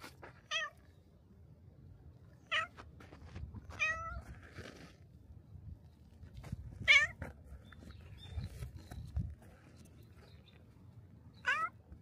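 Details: A shrine's black cat greets a visitor at the torii gate with five clear, rising-then-falling meows, spaced irregularly two to five seconds apart, between quiet stretches of faint low rumble.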